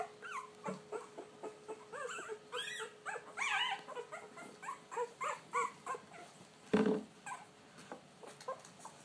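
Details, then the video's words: Puppies trying out their voices: a quiet run of short, high, arching whines and yelps, one after another with brief gaps, then a louder yelp near the end over a faint steady hum. "They found their voice"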